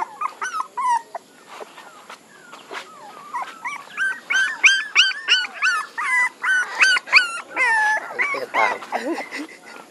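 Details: A group of puppies crying continuously, overlapping high whines and yelps that bend up and down, growing louder and busier halfway through, with one faint voice in the background.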